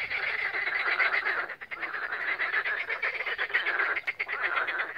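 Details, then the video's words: Spring frog chorus at Siófok-Aranypart on Lake Balaton, Hungary, recorded 16 May 2021 with a Samsung phone: loud, dense rattling croaks overlapping without pause, occasional sharper pulses standing out. "Béka hangverseny a Balatonnál"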